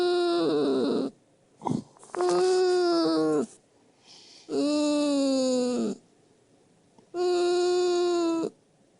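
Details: Sleeping old poodle giving strange whistling snores, long harmonic whines of about a second each with quiet gaps between, one brief squeak in between, repeating about every two to three seconds.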